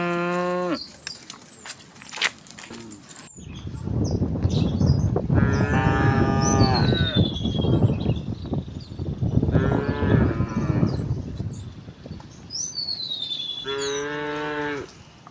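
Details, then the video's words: Herd of tame cows strolling to a vast field in gentle morning sunlight: several deep, drawn-out moos spaced a few seconds apart, over a noisy rumble of movement, with small birds chirping high in the background. "the sound of cows"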